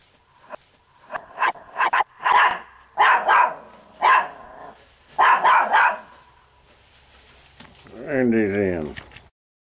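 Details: Chihuahua dog, a small male seen climbing over and into backyard fences, gives a run of short, sharp, yappy barks in quick bursts, then a longer harmonic whine near the end, with a woman talking over it.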